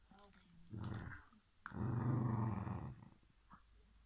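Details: Two whippets arguing over a bone indoors, one growling: a short rumbling growl, then a longer, louder, deep vibrating growl lasting over a second, with a faint whine between.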